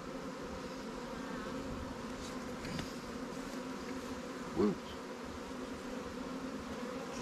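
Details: Honey bees at a newly captured swarm hive in a Langstroth and Warre apiary, being given resources taken from stronger hives; a steady, dense, low buzzing drone of many bees throughout, with one brief sharp knock partway through.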